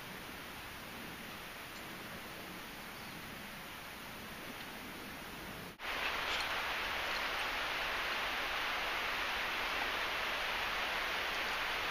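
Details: Steady broadband hiss like wind or rustling outdoors, broken by a sharp click near the midpoint, after which the noise grows louder and brighter; no animal calls stand out.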